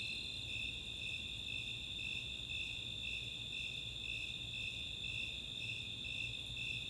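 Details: Chautauqua open space in Boulder, Colorado on a summer night: Snowy Tree Crickets and Four-spotted Tree Crickets give rhythmic high chirps about twice a second over a constant ringing trill.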